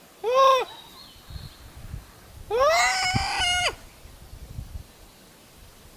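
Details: Call-and-answer between wild Japanese macaques: one short arched coo, then a long, strong coo that rises and holds a steady pitch for over a second before ending, over soft outdoor rustling.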